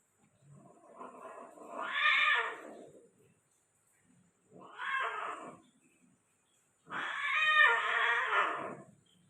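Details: Persian cat during mating in Gujranwala, with a Persian female in a breeding cross: three long, harsh, wailing yowls, each swelling and fading over one to three seconds, separated by short silences in a quiet indoor room.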